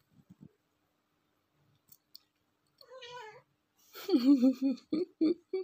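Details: Domestic cat, female, watching cat TV indoors, gives a wavering chattering call near 3 seconds, then louder warbling, trilled meows with harmonics and short clipped bursts toward the end; brief clicks at the start and quiet French speech around it.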